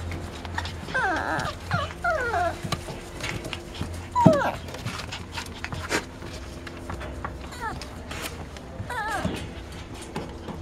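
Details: Dachshund puppies from a litter born 5 February 2013 in Itapetininga, São Paulo, Brazil, giving high, wavering squeaky whines in short bursts, some rising and falling sharply, with indoor rustling and a murmur of voices behind.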